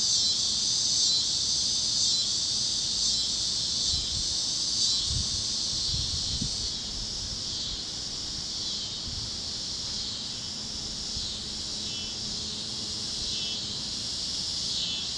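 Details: Warm Kansas evening at sunset with cicadas chirping across the fields: a bright sizzling chorus in rapid even pulses that quietens slightly midway, with a few soft low thumps near the start.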